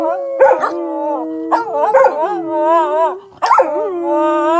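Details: Howling competition between Samoyed dogs: one steady low drawn-out howl runs beneath a higher wobbling howl, while short yelps break in at intervals.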